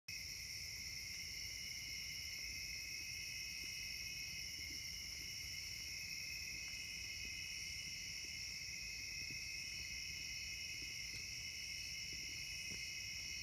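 A steady summer insect chorus of high, continuous trilling drones layered at several pitches.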